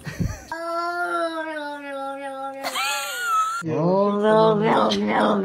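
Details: Pet cat at bath time, yowling in long, steady, wailing cries, each held for a second or more and shifting in pitch from one cry to the next, indoors in a small room.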